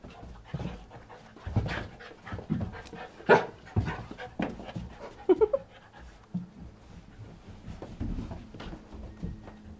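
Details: Twelve-week-old puppy indoors, chasing its bed while another dog drags it downstairs: soft rhythmic panting and snuffling with thumps, scuffles and a few faint squeaks.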